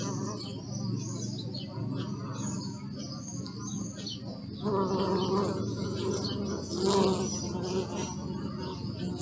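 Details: Faint bee hum at first while small birds chirp high and thin in the background, then a louder buzzing drone comes in close halfway through and holds to the end.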